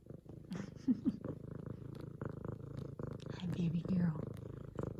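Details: A female F2 Savannah cat purrs in a steady low rumble while kneading a leopard-print pillow, excited at her owner's return from work, as a woman talks softly to her.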